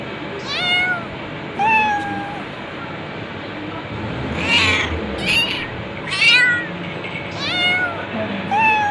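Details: A long run of cat meows, around nine calls, some sharply falling whines and others rising-falling, some overlapping, over a low steady hum.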